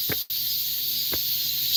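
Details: On a late-summer morning in the wooded grounds of Heungcheonsa temple in Seoul, cicadas give a steady, high, hissing buzz without pause: males calling to find mates, since females cannot sing.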